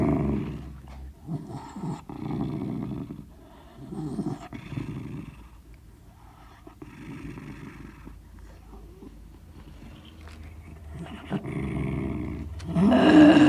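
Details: Sealyham Terrier growling over a bone indoors: low, rumbling growls in short separate bursts with quiet gaps, then a loud, sharp rustling noise at the end.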